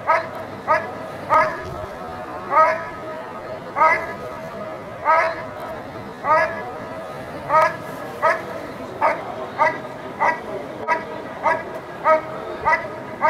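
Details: Dog barking during a protection phase of a 2014 working-dog trial: strong, evenly spaced barks roughly every second, steady and insistent, over a murmur of background crowd noise.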